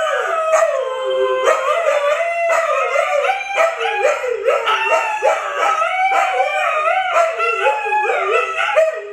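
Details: A group of Siberian Huskies, Luna, Gizmo, Arya and their puppies, howling in chorus: overlapping wobbling howls that rise and dip repeatedly, with short yelping accents, several dogs sounding at once.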